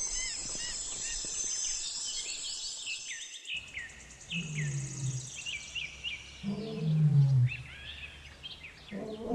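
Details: Lioness giving deep, low moaning grunts in two bursts, the second longer and louder, with many birds chirping and whistling over an outdoor background.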